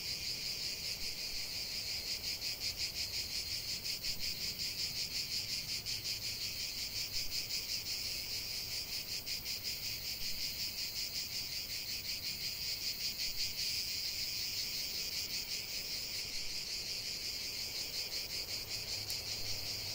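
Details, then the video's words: Continuous cicada song in a natural setting, a loud high rasping buzz throbbing in rapid regular beats, with a faint low hum at times beneath. "45 min de chant des cigales"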